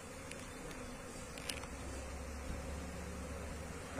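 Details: Asian honey bees from a wild colony during transfer into a cultivation hive box, giving a continuous low buzzing drone, with a few sharp taps and a louder bump at the very end.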